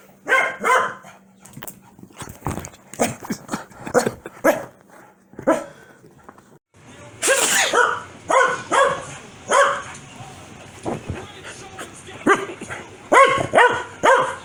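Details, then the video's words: Corgi Foxy gets mad whenever a sneeze happens and answers with a long, uneven volley of rapid barks and yips, briefly pausing midway before a louder, denser burst. "Corgi Gets Angry Every-time I Sneeze"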